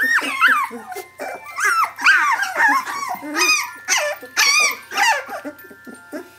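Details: Squeaky, quavering cries of 17-day-old puppies calling for their mother Brenda, high bent whines and thin yelps repeated in quick overlapping bursts from several pups.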